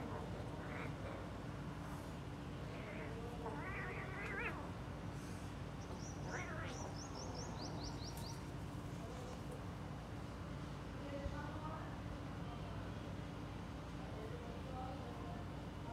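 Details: Several kittens playing let out a cluster of short meows in the first seven seconds, some overlapping, then fainter mews later, with quick high chirps and a steady low background hum.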